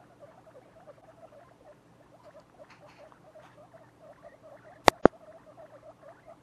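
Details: A litter of pet guinea pigs at two weeks of age utters quiet, evenly repeated low chirps, several per second, broken by two sharp loud knocks near the five-second mark.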